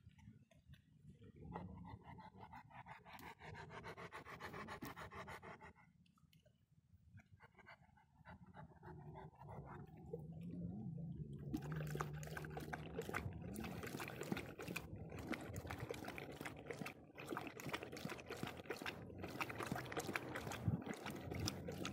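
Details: Dog drinking rainwater to rehydrate after a long walk, breathing in rapid rhythmic pulses of roughly two to three per second, with a quieter pause partway through before the steady, fast, breathy strokes return and continue to the end.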